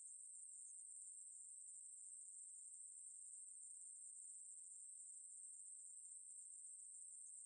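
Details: Continuous insect song from a Ruspolia katydid: a thin, very high, electric-sounding buzz, flat in pitch and never pausing. No other voices or noises are heard.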